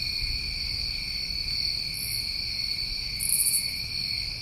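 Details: Continuous high trill of New England summertime crickets, with a louder buzzy burst near the end and soft low-frequency background noise.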